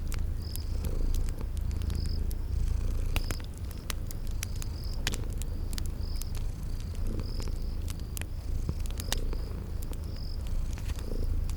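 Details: Sleeping cats purr in a long, even low rumble that swells and eases slightly, while fireplace crackles snap and a high chirping insect repeats steadily in the spring garden ambience.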